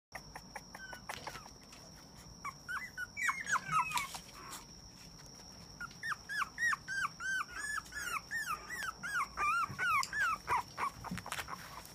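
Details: Male Papillon puppy born 18 August 2017, giving quick runs of high, downward-sliding yelping whimpers, about three a second and growing denser toward the end, over a steady high electronic tone and faint room noise.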